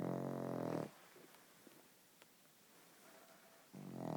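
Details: Pug asleep indoors, snoring: a low, rasping, buzzy snore lasting about a second at the start, a quiet pause of nearly three seconds, then the next snore rising in at the end.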